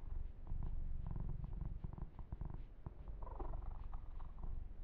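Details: Kitten named Yumak purring while being massaged and groomed, a steady low rumbling purr with rhythmic pulses, mixed with soft rubbing and fur-stroking noises and brief brighter scratchy bursts near the end.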